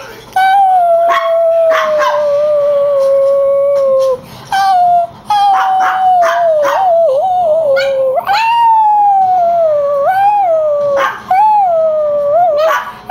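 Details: Chihuahua howling in reaction to an annoying whine: long sustained tonal howls with rich harmonics, steady then wavering, broken by short yips and gaps between howls.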